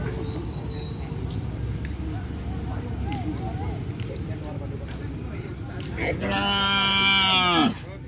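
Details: Cattle at a kerapan sapi (bull race) training session on the Asemanis field: one steady, deep moo, rich in overtones, lasts about a second and a half near the end, over crowd chatter, claps and scattered voices.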